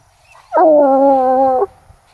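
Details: Bluetick Coonhound baying after tracking a scent on a walk all the way to a tree in the woods: a single loud, sustained, harmonic-rich bawl held for about a second, slightly falling at the start, with faint rustling behind.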